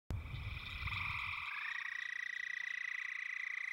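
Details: A Houston toad, a small endangered toad of eastern central Texas, gives a long, high, steady trill with a fine rapid pulse.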